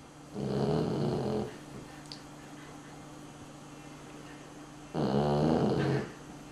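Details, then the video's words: Sleeping dog snoring: two loud, rough, buzzy snores about four seconds apart, each lasting roughly a second, with a quiet steady hum in between. "Unser Hund schnarcht - Dog snores"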